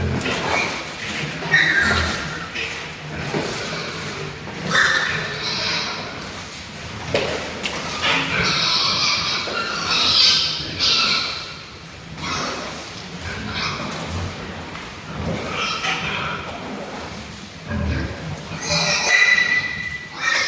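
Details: Pigs more than three months old, a super lean type raised on a pig farm, give repeated shrill squeals and rough grunting bursts amid clanking indoor pen sounds and people talking.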